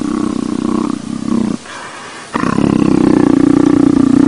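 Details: Pleased by petting, a leopard produces a low, buzzing, pulsed rumble that pauses for under a second, then resumes louder and steadier until the end.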